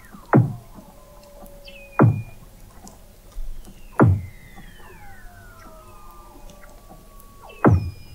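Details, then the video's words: Weddell seals recorded in November 2017 by a hydrophone 21 m below the sea ice at McMurdo Sound, Antarctica: sharp descending thumps roughly every two seconds, with long gliding whistles falling from high to mid pitch between them. "Song of the Antarctic Weddell Seal"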